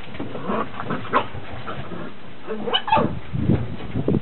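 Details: Beagle pups, day 69, on their first run out on a deck: a brief whine, then a quick pair of shrill yips, among rustling, thumping movement and low background rumble.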